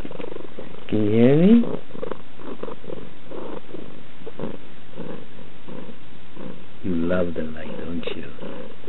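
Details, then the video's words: Pet cat giving a continuous deep, vibrating purr while someone talks over it indoors. "Why and HOW Do Cats Purr?"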